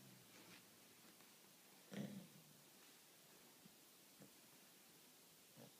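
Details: A female Shiba Inu barks in her sleep while lying next to a loudly snoring male Shiba: one low, stifled woof stands out, with fainter snorts and snuffles before and after in a quiet room with a faint hiss.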